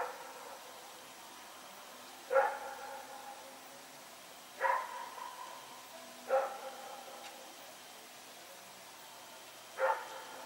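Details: Rex, a dog running around at night, recorded Sep 21, 2018 in Pyrga: four distant, short barks spaced two to three seconds apart over a quiet background, each with a tonal ring.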